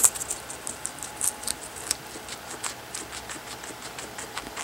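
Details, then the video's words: Guinea pigs, pet cavies, hand-fed carrots; crisp rapid crunching clicks from chewing, irregular bursts several per second, with a faint steady hum in the background. "My Super Cute Pet Eating Carrots"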